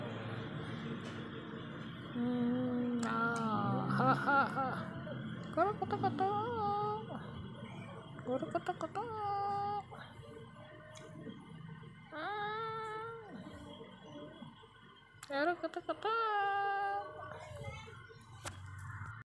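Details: Waking kitten mewing in a small room: thin, wavering cries come in bursts every few seconds, mixed with a woman's gentle baby-talk in Japanese.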